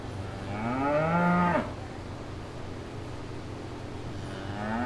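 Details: A cow in a field in Wales gives a deep, drawn-out moo that swells upward, then a second moo begins.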